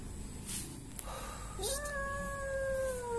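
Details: Frightened kitten found behind a door, crying: after a faint short mew, one long steady meow held level then slowly falling, with a woman speaking softly around it.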